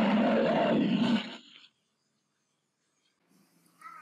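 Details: Brown bear (Ursus arctos), a large bear of northern Eurasia and North America, gives a deep, rasping roar lasting just over a second, then falls silent.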